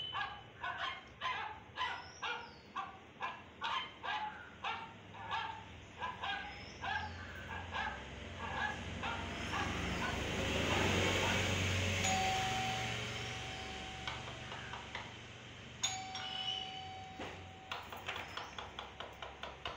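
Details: An Indian Spitz puppy reacting to a sound gives a run of short sharp barks, roughly two per second, then falls quiet under a broad hiss before a few more yips near the end.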